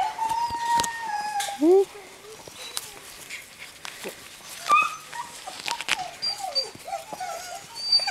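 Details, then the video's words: A yard full of seven-week-old Greenland Dog puppies from three litters at play, Tinka's Kennel, June: a long high whine opening, then scattered short squeaky yelps and bending whimpers amid clattering play sounds. "Grønlandshundvalper på Tinka's Kennel"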